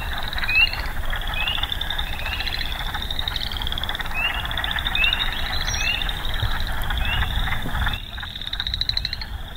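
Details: A frog chorus in early May at Sax-Zim Bog, the first frogs heard that year: many high, short, rising peeps overlapping several times a second over a steady shrill trill, with low rumble beneath.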